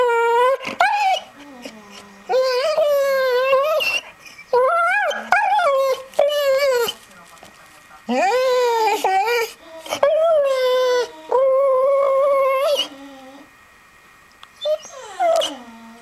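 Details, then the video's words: Pet American Staffordshire Terrier reacting to a Nokia mobile phone sound with a series of wavering, rising and falling howls and whines in bursts of one to two seconds, separated by short quiet gaps, with a faint steady tone behind. "Weird noise made by my amstaff"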